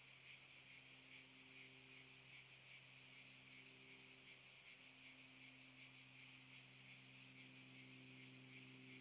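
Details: Chorus of cicadas in the Šuma Musapstan park at Zadar, August 2014, a shrill unbroken buzz throbbing in quick regular pulses, with a quiet low drone in the background.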